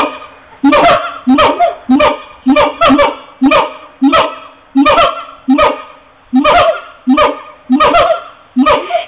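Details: Siamangs recorded on an HTC mobile phone: a loud series of harsh, honking barks with rich overtones, each note sharply attacked, repeated about every half second to second in an uneven rhythm, with no other sounds clearly heard.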